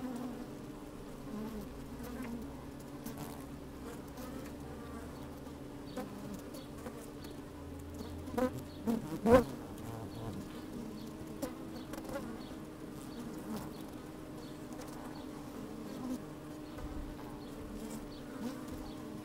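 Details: Honey bees at work in an open hive, microphone lowered inside, fine sunny weather with some wind: a smooth steady drone at a fixed pitch, a low wind rumble early on, then a cluster of loud close buzzes midway before calm humming resumes.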